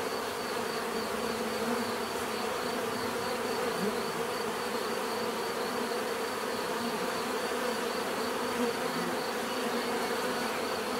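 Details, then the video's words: Continuous hum of many bees, a thick even drone with overlapping low tones and a faint high steady line, unbroken from start to finish. "bees therapy relaxing natural buzzing sound"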